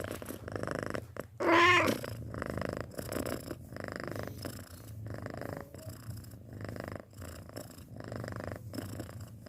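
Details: Six-month-old pet cat purring quietly in rhythmic breathy cycles, with a low steady rumble underneath and one brief louder tonal squeak rising in pitch near the second mark.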